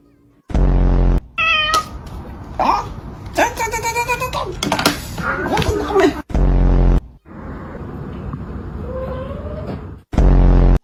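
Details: Domestic cat meowing around food, with several drawn-out, rising and falling meows in the middle, alongside a person talking and laughing, and loud bursts of music or effects at the start, middle and end.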